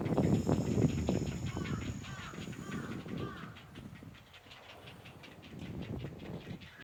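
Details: Rapid rhythmic pulsing of an unseen Ezo haruzemi cicada at Odawara Castle, about three to four beats per second, with loud wind gusts at the start and a few soft bird chirps in the middle.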